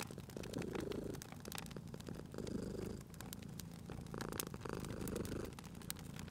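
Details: Domestic cat purring by a crackling fireplace, a low rumbling purr swelling and fading in rhythmic breath cycles of roughly a second and a half, with sharp pops and snaps of the burning fire scattered throughout.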